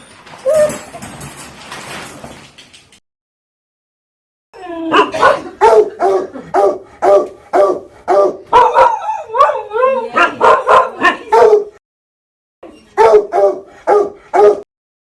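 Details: Dog barking aggressively, a faint noisy start then a rapid string of barks mixed with wavering, howl-like yowls and whimpering tones, a short pause, then another quick burst of barks.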